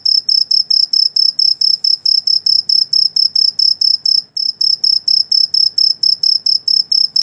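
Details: An insect calling at night gives a steady series of high, pure-toned chirps, about four each second.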